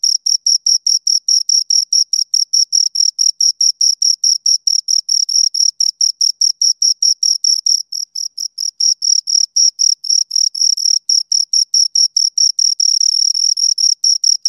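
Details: Continuous rhythmic chirping of two crickets, quick high-pitched pulses running steadily for the whole stretch, slightly blurring into a trill in places; quiet background otherwise.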